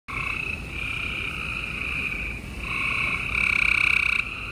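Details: Gray treefrogs chorusing at night in Houston, Texas, on April 28, 2020: many overlapping pulsed trills merge into a near-continuous buzzing drone with two steady bands, swelling louder toward the end.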